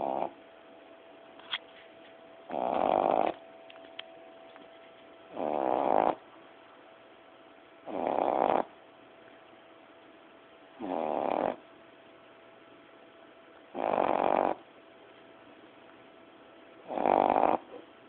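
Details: A 9-10-week-old Boston Terrier puppy snores loudly during a nap, in steady, raspy bursts about every three seconds.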